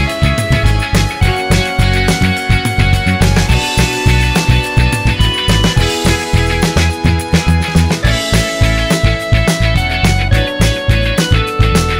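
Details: Loud rock music with guitars and driving drums throughout, and no animal voices.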